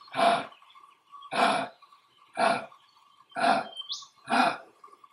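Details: Male eastern grey kangaroo in Australia grunting to display dominance while standing on his toes and rubbing the grass. Five harsh, breathy chuffs, roughly one per second, over a steady insect-like drone, with a brief rising bird chirp.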